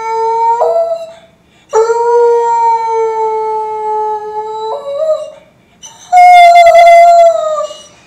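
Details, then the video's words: American Foxhound, two years old, at home in Kansas City, Missouri, singing along to beagles on a screen: drawn-out, steady-pitched howls with small step changes in pitch, broken by brief pauses and ending on a loud, slightly falling howl. "American Foxhound "Piper" singing along with video of Beagles"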